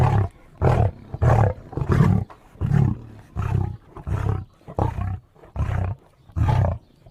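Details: Lion roaring in a fast series of deep, rumbling bursts, about ten heavy grunting roars in seven seconds, each short and booming with a low-pitched core, separated by brief quiet gaps.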